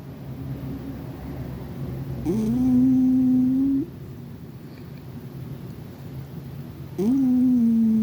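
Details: Sleeping cat snoring in a quiet room: two drawn-out, low, humming tones, each opening with a quick rise and holding steady for over a second, about five seconds apart, with faint background hum.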